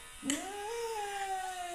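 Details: Siberian Husky wailing dramatically indoors while being shaved; a short sharp cry jumps into a long drawn-out tonal howl that rises, holds steady and sags slightly, with a faint hum in the background.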